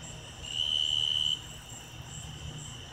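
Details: A Davis's tree cricket stridulates, giving a steady, high, pure-toned trill lasting under a second.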